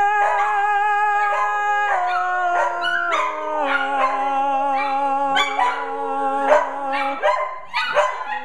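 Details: After a cue to sing again, several house dogs on a Friday night produce drawn-out, quivering howls that overlap and drift in pitch, above a steady low note that drops in steps, with sharper bursts toward the close.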